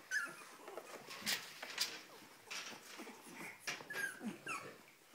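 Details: Whines from a Cavalier King Charles Spaniel, a string of short, high, nasal whimpers broken by soft puffs of breath and light rustling in a quiet room.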